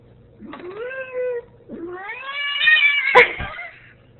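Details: Female Ragdoll cat arguing with her owner who is leaving; two rising, whining meows, the second longer, louder and more insistent, with a sharp click near its end and soft background hum.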